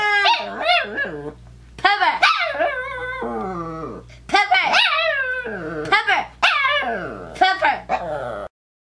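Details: Pet female dog indoors vocalizing in protest at a disliked name: rapid chains of yowling, talk-like whines and yelps, bending up and down in pitch. About six bursts come close together before falling silent at the end.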